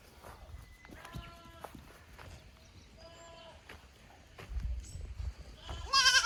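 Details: Goat kids on a May 2024 visit to an unfamiliar upper pasture at a goat farm: two fainter, steady harmonic bleats, then a louder bleat cut short at the end, amid rustling and low handling noise.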